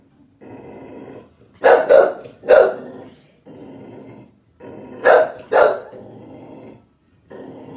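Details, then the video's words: Chow Chow dog barking: two pairs of sharp, loud barks, around two and five seconds in, separated by stretches of low, steady rumbling background noise. "Chow Chow Barking Sound Effect. The Original Chow Chow Dog Barking"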